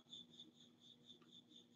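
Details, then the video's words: A cricket in a garage chirps steadily, a high, pure pulsing note repeated about four times each second. "you guys hear that cricket I got"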